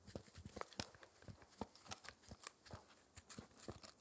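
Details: A 4-month-old Shetland Sheepdog puppy indoors chewing an air-dried raw ear dental treat: irregular sharp crunches and tearing clicks, some close together, others spaced by short pauses, in a quiet room without talking.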